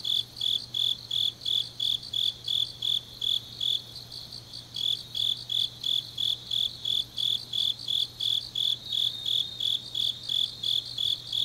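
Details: Grass insects on a deep autumn night in Changnyeong, South Gyeongsang, South Korea: shrill high chirps pulse about three times per second in a steady, even rhythm, with a faint constant low hum underneath.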